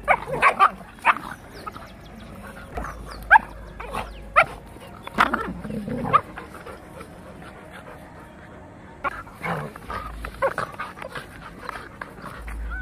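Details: Labrador puppy and Rottweiler fighting aggressively; rough snarls, growls and short harsh bursts come in irregular clusters, with a dense tangle of overlapping noises around the middle and quieter gaps between outbursts.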